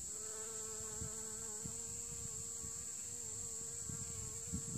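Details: Steady buzzing of bees visiting winter-flowering heather at L'Escarène in autumn 2016, coming out whenever the sun shines; an even droning hum runs throughout, with faint knocks and a continuous high-pitched hiss behind.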